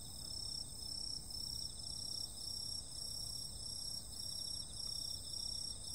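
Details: A summer-night insect chorus of layered, continuous high shrilling tones. The loudness swells and fades in a steady pulse about twice a second, with faint low background noise.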